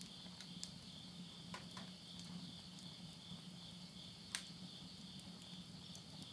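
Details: Countryside insects at the end of summer call at midnight in September 2020 in Yurihama, Tottori, Japan. A continuous shrill buzzing band of pulses runs under sharp wood crackles from a burning stove and a low droning hum.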